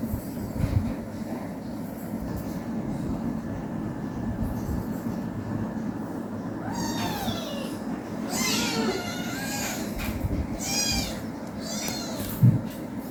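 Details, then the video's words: An 18-day-old kitten playing with its mother at home. After a quiet start, a burst of high, wavering, bending meows comes in quick succession through the middle of the recording, over a steady low rumbling hum. "cat meowing sounds"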